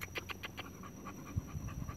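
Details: Pregnant female American Bully breathing in fast, breathy pants, about six sharp puffs in the first second before fading to softer breaths, with a few low thumps near the end.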